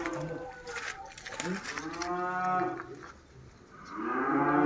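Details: Tame farm cattle in Mangunsari, Indonesia, giving a harmonic moo that rises and falls, followed by a second call starting near the end, with some barn clatter behind.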